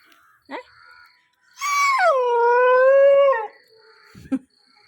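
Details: Young dog, nine months old, howls in distress after being left behind: one sustained, clear howl of about two seconds that dips then holds steady, framed by faint brief whines and quiet speech.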